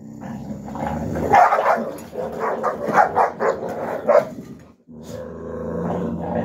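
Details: Young Alabai puppies play-fighting in winter 2023, Fawn Alpha against Tiger: rough, throaty growls and snarls swell in bursts, with sharp yappy barks breaking through around the middle before the noise settles into a low, continuous grumble.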